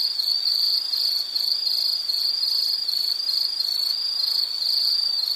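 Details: Insect calling steadily outdoors with a bright, high-pitched pulsed trill, short chirps at a constant pitch strung together in even rhythm, with only faint hiss behind.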